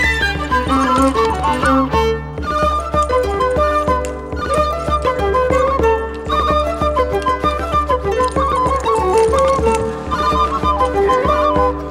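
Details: Lively traditional folk tune played throughout on fiddle and flute over a steady low accompaniment, with no separate animal voice standing out.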